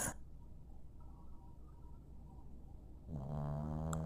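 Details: Sleeping dog snoring indoors with a low, rough rumbling rattle repeating rapidly for about three seconds, then a louder, steadier droning tone takes over at the end.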